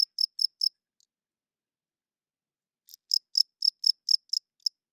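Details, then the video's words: Cricket at night giving three quick high chirps, a pause of about two seconds, then a fresh run of seven or eight pulsed chirps, clean and unaccompanied. "Cricket Chirping Sounds - Cricket klinkt 's nachts luid"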